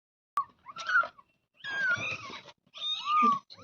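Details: Kitten meowing indoors: three short tonal mews with harmonics, the last one sliding downward, separated by brief pauses, with some rustling noise between calls.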